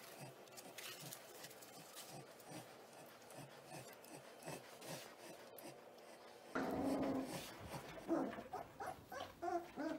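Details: Litter of young Caucasian Ovcharka pups, under seven weeks old, making soft scattered whimpers, then a louder, busier stretch of squeaks and yelps in the final seconds.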